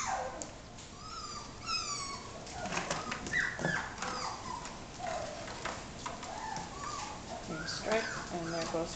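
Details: A litter of dog puppies almost six weeks old; several overlapping high squeaky whines and yelps, some quickly stepped or wavering, scattered through the recording with soft rustling and handling noise.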